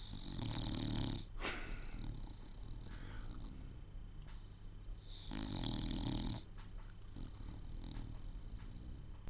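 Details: Sid, an English Bulldog, snores while awake with an eye open: two long, raspy snorts about four seconds apart, deep rattling rumble under breathy hiss, a sharp click between them, quiet room tone throughout.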